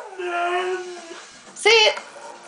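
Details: Pet dog Pride doing its morning talking ritual indoors: a drawn-out, steady tonal note followed by a short, loud, strained yowl, while a person keeps coaxing with the phrase "I love my mama".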